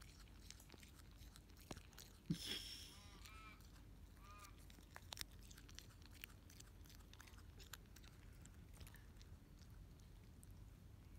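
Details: Quokka. A quokka munches on grass, producing a steady stream of small, dry crunches and clicks at uneven intervals. A brief voiced sound interrupts early on, then the quiet chewing continues.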